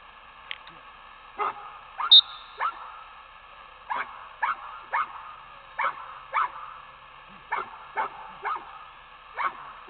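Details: Retriever named Torque during gun dog training at Coyote Creek Retrievers on a technical pond: short, sharp barks repeated roughly once a second at slightly uneven intervals, with a faint high tone near the start.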